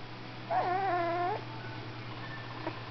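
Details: While posing for photos, a golden retriever sings one sustained, wavering whine of nearly a second, steady in pitch with a slight dip and bright harmonics, ending abruptly; a faint click afterwards and constant low hum.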